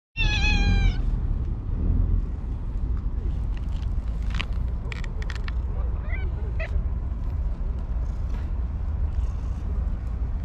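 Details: Stray tuxedo cat at a fishing port, being given lickable treats: one loud, clear meow under a second long opens the recording, then steady low rumbling background with scattered clicks and faint taps.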